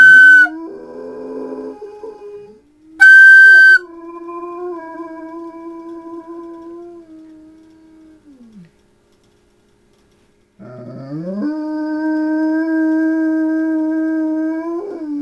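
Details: Howling from Phobey, a 100-pound dog set off by flutes, ambulances and coyotes: after brief flute notes come two long, low, even baritone howls, the first sliding down at its end, the second rising and held steady.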